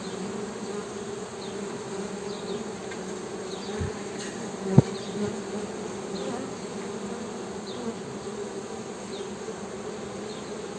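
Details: Continuous low buzzing of Western honey bees, an even drone with a couple of sharp knocks midway and faint high chirping behind.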